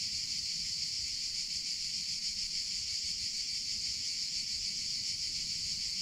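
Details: Cicadas singing in summer: a loud, steady, hissing high buzz with slight rapid pulsation, constant in volume from start to finish, over faint low background noise.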